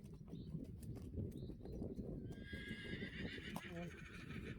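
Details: Friesian horses of a herd that escaped and seem scared of something in the stable; a person calls them in Dutch, then a horse gives one high, quavering whinny lasting about a second, over steady rustling and clattering hooves.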